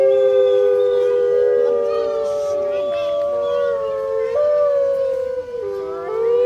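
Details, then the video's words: Captive grey wolves howling at Artis Zoo on 10-11-2013, recorded on an HTC One phone; several long overlapping tonal howls hold steady then slide and step in pitch, voices weaving together in a continuous chorus. "Howling wolves at Artis Zoo"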